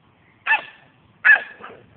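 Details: Percy, a pet dog, attacking a garden sprinkler; two loud, sharp barks about three quarters of a second apart, the second followed by a softer trailing yelp.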